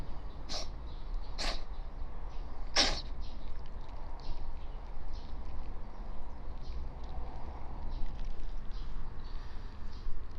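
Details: Stray calico cat, awake after sleeping on a futon, sneezing repeatedly: three loud, sharp sneezes within the first three seconds, followed by fainter short puffs against a quiet indoor background.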